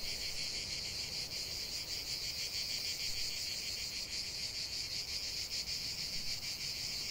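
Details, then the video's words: Cicadas in full song outdoors, a steady shrill hiss concentrated high in pitch with faint rapid pulsing, unbroken from start to finish and no other animals or voices standing out. "45 min de chant des cigales"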